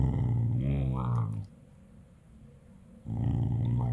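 A corgi grumbles and yowls in low, voice-like bursts, with a brief rise into a whiny tone.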